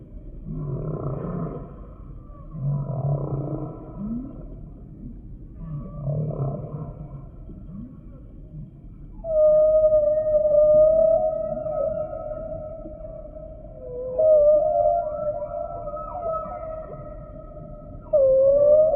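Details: Humpback whale song: three low groaning pulsed units with harmonics, then long steady tonal moans, some with brief upward sweeps, over a constant low rumbling hiss.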